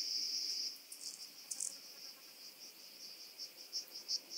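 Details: Rock-dwelling grasshopper (Omocestus petraeus) recorded on Cres, Croatia, on 13 July 2022 using a Pettersson D 100 ultrasound detector: a dense high buzz for under a second, then a run of short, regularly spaced high chirps.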